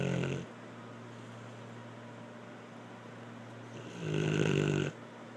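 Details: Blue the dog snoring: the tail of one snore opens, then a quiet stretch with a steady low hum, and a long, harsh, buzzing snore arrives near the end.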